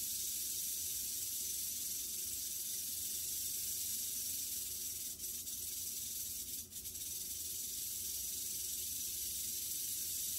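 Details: Western diamondback rattlesnake in the act of killing a mouse: a steady, high-pitched hissing buzz runs unbroken through the whole stretch, with two brief sharp clicks about five and six and a half seconds in.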